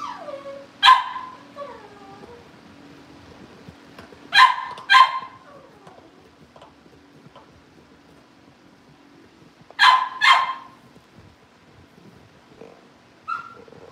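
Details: Cavalier King Charles Spaniel puppies at home before going to their families: sharp puppy barks, often in doubled bursts, spaced several seconds apart, with brief whimpers between and a low steady hum behind.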